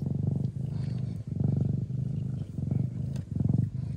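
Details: A traditional (Thai/Old Fashioned) Siamese mother cat purrs loudly while nursing her hungry kittens, a deep, throbbing rumble that swells and fades with each breath.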